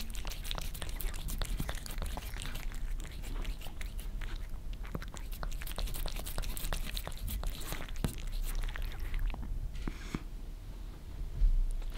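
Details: Rapid wet licking and crunchy smacking sounds in a small room over low rumble, with a brief soft hiss near the end and no animal calls.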